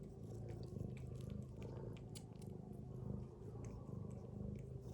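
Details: Snoring from a sleeping domestic mother cat among her kittens: a dense, low, pulsing rumble held evenly for the whole stretch.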